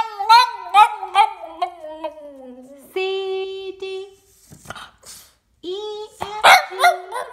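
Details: A Boston Terrier howling along while a person sings the ABC song; long drawn-out wavering howls, some sliding downward, mixed with the singing voice and short sharp yips.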